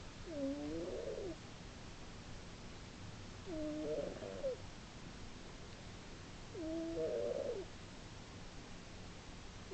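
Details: Female pet cat asleep and snoring, recorded in March 2010, loud enough to carry three rooms; slow, rough, buzzy snores about a second long, three of them spaced around three seconds apart against faint background hiss.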